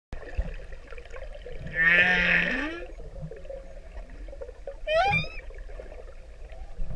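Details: A male humpback whale in the Pacific sings to a female, a low, rising moan followed by a swift, bright upsweep over an ocean hiss.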